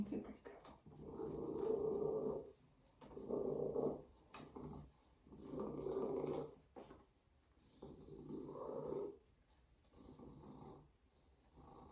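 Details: Binah, a female Savannah cat, purring loudly like a motor: a rough, rumbling purr that swells and fades in regular breathing cycles about every two seconds, with brief quiet gaps between strokes indoors.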